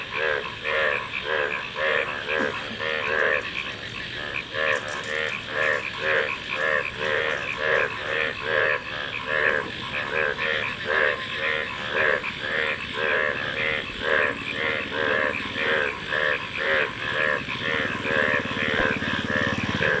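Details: Frogs calling in a dense chorus: pulsed, rattling croaks repeated roughly once a second, several callers overlapping, over a steady high buzzing background.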